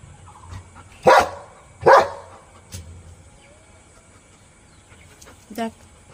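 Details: A pet dog in India gives two loud, sharp barks about a second apart, then a softer short bark and, after a pause, a brief higher yelp, over a low steady hum with a person's voice nearby.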